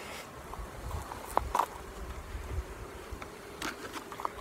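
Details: Honey bees at a hive during queen rearing with nuclei; the queen has climbed into a queen cage. A low steady hum runs beneath scattered clicks and handling taps, with a brief louder knock near the middle.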